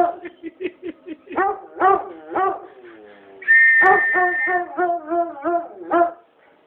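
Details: Foxhound answering a whistle with quick yodeling bays, a steady high whistle tone sounding briefly alongside, then more rhythmic, wavering howled notes.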